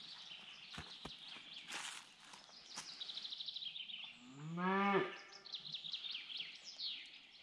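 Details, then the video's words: A Scottish Highland cow on a Finnish forest pasture gives one short, deep moo rising and swelling for about a second amid busy birdsong, 17 April 2021, as snow nearly gone. "Cows and lots of bird sounds"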